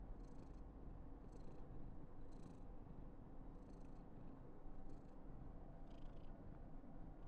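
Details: A female Somali cat, Karen, in an outburst of affection on her 995th day, gives a constant deep purr, punctuated by quick airy puffs at intervals of roughly a second.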